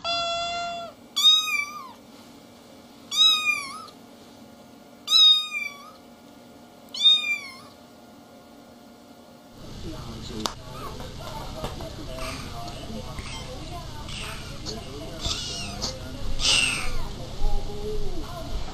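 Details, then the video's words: Little kittens meowing: four sharp, rising-falling meows spaced about two seconds apart, then a switch to a noisier scene with a rumbling background and scattered faint sounds. "Little kittens meowing and talking"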